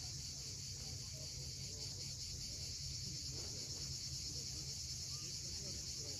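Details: Cicadas calling at sunset on the steep coast of Cape Fiolent, Crimea: a steady, dense high buzzing hiss throughout, over the low rumble of sea waves, with faint scattered bird chirps.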